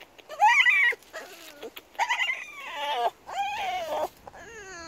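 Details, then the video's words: Female French bulldog meeting a group of bold cows on a walk, screaming and howling at them: four bursts of high, wavering, whining cries that rise and fall, with short quiet gaps between them. "CRAZY Frenchie SCREAMS at cow! video hilarious howling NEVER heard this noise before!"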